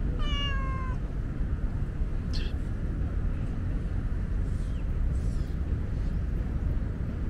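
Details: Female tabby cat, normally shy and wary of petting, meowing on a hot day because she is thirsty and wants a drink; one drawn-out harmonic meow at the start, then quiet with steady low background rumble and faint clicks.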